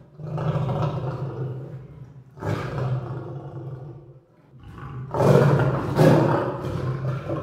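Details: Lion roaring in deep, powerful bursts, each a long rumbling growl with strong low tones, separated by short pauses; the later roars grow louder and harsher.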